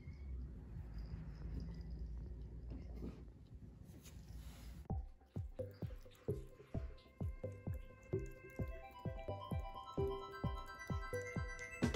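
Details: Low indoor rumble gives way to plucked, rhythmic music notes, with no animal sound.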